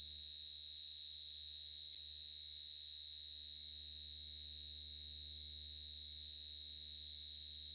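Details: Field cricket (dế mèn, dế cơm) chirping at night in the countryside: a steady, high, shrill ringing tone with very fast, even pulsing and no breaks throughout, faint low hum beneath.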